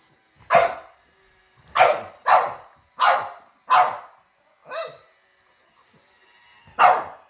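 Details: Dog barking at a robot vacuum seen for the first time, single loud barks with gaps between them, one softer bark in the middle and quiet stretches, seven barks in all.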